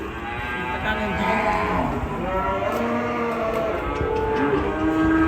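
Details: Angry cattle in a raging-cow compilation, giving long, continuous deep moos with layered harmonics that hold steady and slowly glide, loud throughout against constant background hiss.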